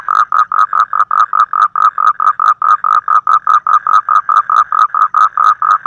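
A frog calls in a fast, steady series of short, nasal croaks, about five each second.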